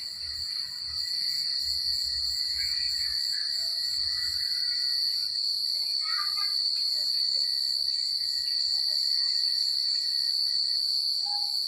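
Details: Night chorus of crickets in quiet countryside, a continuous shrill trill held at one steady pitch the whole time, with a few soft, brief lower chirps drifting in around the sixth second.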